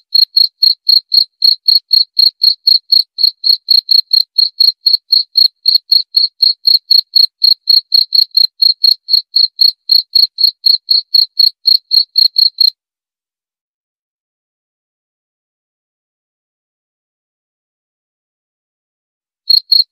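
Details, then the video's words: A cricket gives a long run of bright, high chirps, about four per second for some twelve seconds. Then comes a seven-second silence, and a few chirps resume at the end. "Suara Jangkrik"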